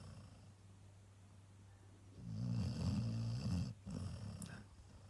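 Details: A Cocker Spaniel snores with a low, rattling rumble that swells and fades with each breath as it sleeps after a heavy weekend of walks.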